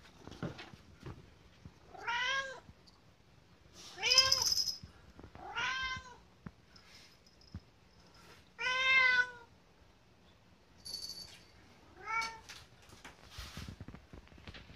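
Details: Kotetsu, a food-loving pet cat, pleading for dinner two hours ahead; five arching harmonic meows spaced two to four seconds apart, with soft clicks and a brief high squeak.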